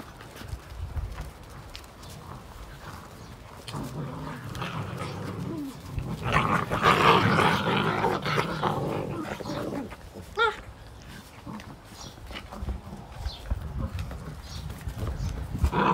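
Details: Fifty-day-old Belgian Malinois puppies, a group of several, tussle over a single toy; a rough, rumbling growl swells in the middle and fades, with scuffling paws and thumps around it.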